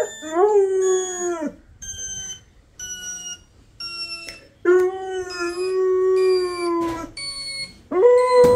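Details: Labrador Retriever puppy howling: long, wavering, slightly rising then falling howls, two extended ones several seconds long, interleaved with steady, flat electronic beeping tones from an alarm.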